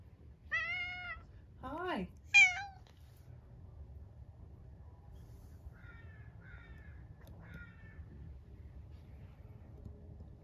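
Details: Bringing his toy sea monster, Harpo, a 13-year-old house cat who survived cancer, gives three loud, strained meows in quick succession, the middle one swooping low, followed by several faint short mews in a quiet room.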